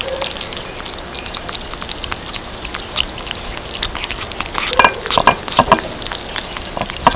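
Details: Little kittens eating cat food: dense, irregular crunching and clicking of chewing, faster bursts near the end, over a steady low hiss.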